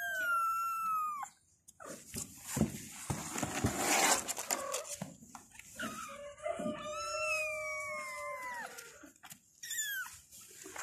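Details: Kittens meowing for their mother: long drawn-out wavering cries, some held for over a second and sliding downward, overlapping from several kittens, with a burst of rustling or scratching in the middle.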